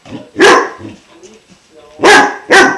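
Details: Klaus, a five-month-old German Shepherd puppy, faced with a new water buffalo horn treat: three loud, sharp barks, one early and two close together near the end, with a woman's coaxing voice between them.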